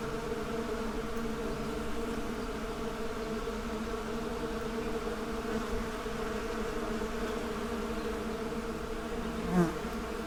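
Honey bees make a steady, droning buzz of many wings humming together without pause.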